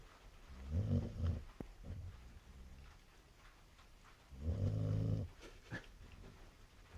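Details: Snoring chow chow, deep throaty rumbles lasting around a second each, spaced about three and a half seconds apart with soft breathing between, and faint voices nearby.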